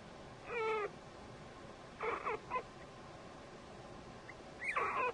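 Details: Guinea pig squeaks recorded around the birth of three babies, born March 11, 2009; three short, squeaky, harmonic-rich calls spaced across five seconds over a quiet background hiss.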